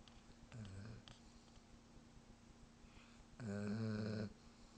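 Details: Bruce, a pet German Shepherd, snores with two low, buzzing breaths, a short softer one followed after a long quiet gap by a louder, longer rumbling snore.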